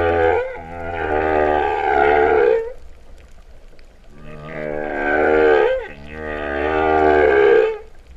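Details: Humpback whale song recorded underwater at Vava'u, Tonga, in September 2015, its cow-like tone noted; three long, loud, rich moans of about two and a half seconds each, bending upward at their ends, separated by brief pauses.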